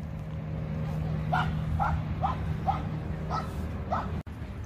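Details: Chihuahua named Jah, out on a walk near muddy ground: six short, high yipping barks, evenly spaced about half a second apart, over a steady low hum, with a sharp click near the end.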